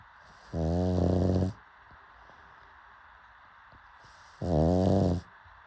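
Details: Pug snoring: two loud harmonic snores, each about a second long and separated by roughly three seconds of quiet breathing hiss, deep and rattling with a faint fluttering texture.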